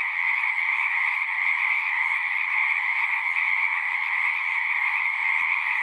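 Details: Frogs singing at a pond in a horse pasture, captured on a Zoom 6 recorder: a dense, unbroken trilling chorus, steady and high-pitched, with many callers overlapping into one continuous shimmering drone and no other clear sounds.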